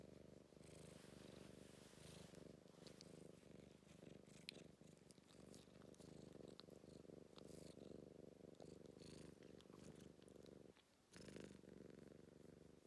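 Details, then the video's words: Affectionate British Blue Shorthair cat purring at close range, a low steady rumbling vibration pulsing through each breath, with a brief pause near the end before the purr resumes. "British Blue being soppy & purring"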